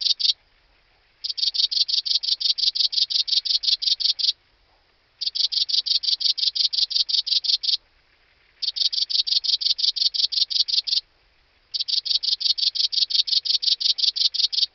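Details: Song of a bicolour meadow bush-cricket at Breitenbrunn, Austria, 13 July 2020: sustained trains of rapid, high-pitched scraping pulses, each train lasting about three seconds and separated by pauses of roughly one second, repeated steadily with no other sounds.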